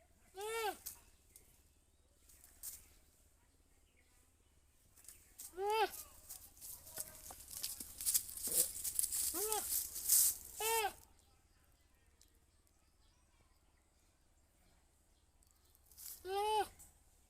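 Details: Goat bleating in short, nasal, arching calls, a few widely spaced and a cluster near the middle, which is partly mixed with bursts of rustling and scraping noise, followed by a long quiet gap and a final bleat.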